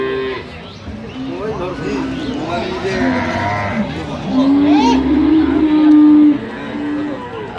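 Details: Improved-breed dairy cows with calves at Ambari cattle market, Dinajpur, Bangladesh, 16/11/25. One long, steady, tonal moo rises in the second half over constant crowd chatter and men talking.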